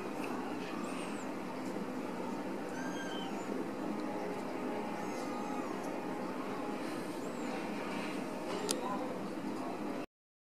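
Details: Ragdoll kittens from a home cattery in central Kansas mew in brief, thin, arched calls at irregular intervals, over constant low rushing noise and a sharp click near the end.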